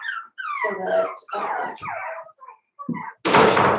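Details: Four-week-old Cavalier King Charles Spaniel puppies from Daisy's litter in their indoor pen, giving short squeaky whines that slide downward in pitch, several in a row with brief gaps, ending in a sharp knock or thump.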